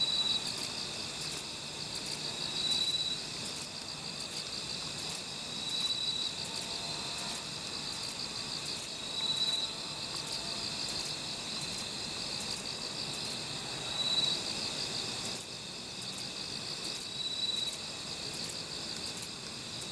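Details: Kobane-himegisu bush cricket, noted for very short wings, recorded near a Niigata park in Japan: rapid series of dry, high buzzing pulses, several per second, over a continuous background insect drone with occasional thin whistled tones.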